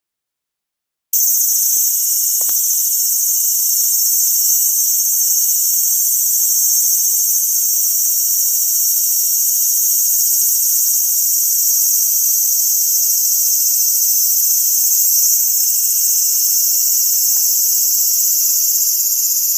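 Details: A cicada confronted by two whippets waiting to attack it; a loud, continuous, very high buzzing drone starts abruptly and holds steady throughout with almost no variation.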